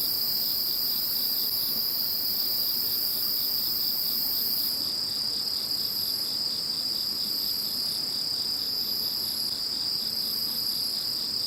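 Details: Once Typhoon No. 21 has gone, insects fill the night with a continuous high, metallic trilling chorus; partway through, a fresh layer of very high pulsed chirps joins in and repeats about every two seconds.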